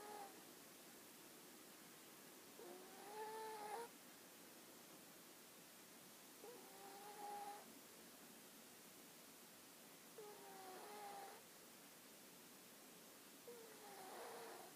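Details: Dog named Hana asleep and snoring, four soft whistled snores roughly every three to four seconds, each a short tonal squeak with breathy noise, heard over faint constant room hiss.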